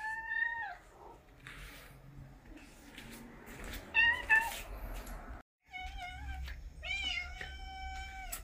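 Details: Cats at home in Japan, September 2021, early autumn: a series of drawn-out, clear meows, several falling at the end, with quick repeated mews near the close and faint indoor noise between.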